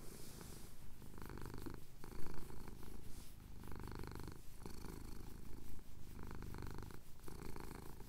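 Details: Low, rumbling purr from a male domestic cat having his chin scratched at sunrise in the Cotswolds, recorded on a Tascam DR-07X, pulsing with each inhale and exhale, with brief brighter rasping bursts and small pauses between breaths.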